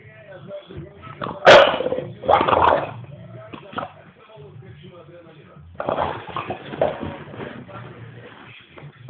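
An English bulldog gives a few loud, gruff barks, with people talking in the background.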